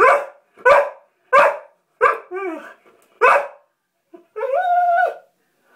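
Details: Female springer spaniel indoors, excited while trying to catch a water bug she saw in the bathtub: five sharp, fairly even barks about every half second, then a wavering whine and a long, steady, harmonic whine at the end.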